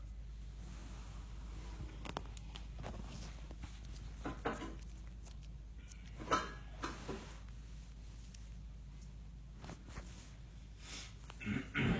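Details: A low steady hum fills a small indoor room, broken by scattered knocks, rustles and handling noises. No clear animal voice stands out.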